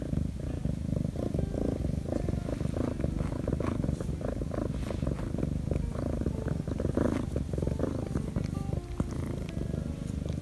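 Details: Korean shorthair kitten, a rescued street cat, purring nonstop while being petted by its owner on the paws, tail and belly; a steady low rumbling purr fills the whole recording with no other clear sounds.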